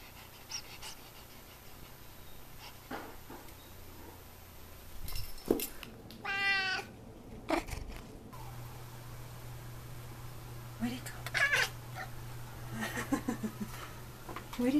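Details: An F6 Savannah cat gives one drawn-out, mid-pitched meow indoors while being coaxed to "say meow", amid quiet talk and a low hum.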